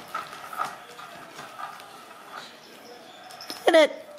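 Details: Ragdoll kitten, home-raised without cages at a cattery in central Kansas, gives one brief, loud, bending meow near the end after soft household rustling and a faint human voice.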